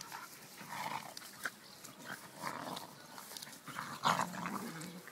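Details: Two dogs, a schnauzer and a beagle, tussle playfully. Muffled, grumbling growls come in several short bursts, mixed with scuffling and a sharp yip near the end.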